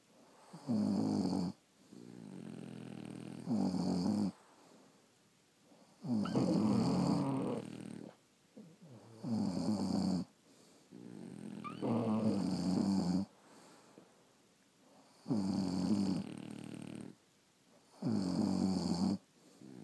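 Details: Several sleeping French Bulldogs at home snore in steady, rough, buzzing breaths, each about a second long and repeating roughly every two to three seconds, with near silence between.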